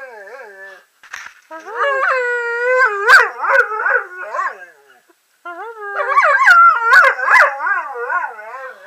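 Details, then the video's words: Kingsley, a German Shorthaired Pointer, producing 'I love you' talking: wavering, howl-like moans with warbling pitch, two long vocal runs separated by a brief silence, plus short breathy bursts. "Kingsley the German Shorthaired Pointer saying I love you"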